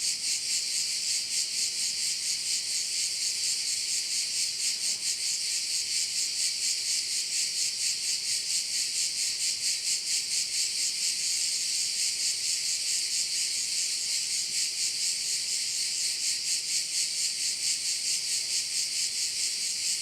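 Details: Crickets by a bay on Korčula: a dense, high, shimmering chorus that pulses steadily about twice a second and continues without a break for the whole stretch. A faint low steady hum is audible beneath it.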